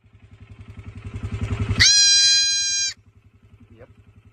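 A kid goat lets out one high-pitched, tonal bleat lasting about a second, bright and slightly nasal. A low, rapidly pulsing engine drone runs underneath from start to finish.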